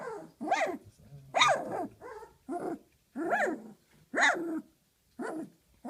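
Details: After her first meal of big dog food, a 19-day-old female Doberman Pinscher puppy defends her bed from an intruder with six short, strained, arching growl-barks, roughly one each second, high-pitched and harmonic.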